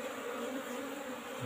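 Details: Apis cerana colony humming inside an old-fashioned hive box while the keeper harvests honey; a short, steady wing drone with a layered overtone, ending in a low thump.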